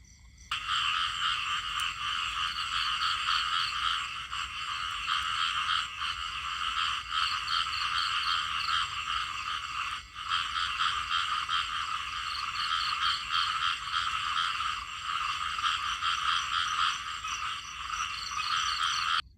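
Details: Many small frogs croak together in a continuous, shrill, rattling chorus. One short gap breaks it midway before the calling resumes at full strength.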